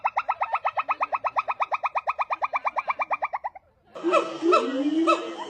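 A monkey gives a fast run of nasal, tonal yelps, about eight a second, then a different chattering cry.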